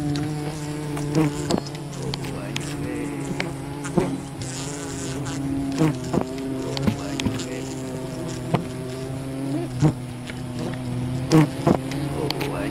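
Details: Wild bee colony disturbed during honey hunting, a dense, steady droning hum with layered harmonic tones and a low fundamental, broken by scattered sharp clicks and knocks from the harvesting work.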